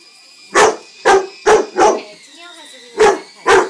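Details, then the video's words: Jaden the two-year-old Rottweiler reacting to a toy helicopter it does not like, giving four quick deep barks, a short pause filled with the toy's wavering motor hum, then two more barks. "My Rotty does not like helicopters!"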